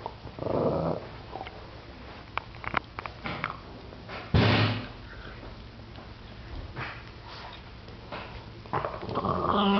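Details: A 7-year-old Boston Terrier growls and snarls, low and rumbling in short bursts, guarding his bone from a persistent 10-week-old Boston Terrier puppy.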